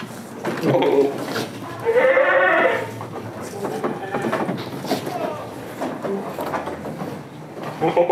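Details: Goats on a village farm keeping Damascus and Jamunapari breeds; one wavering, nasal bleat rises out of the mix around the middle, with people talking throughout.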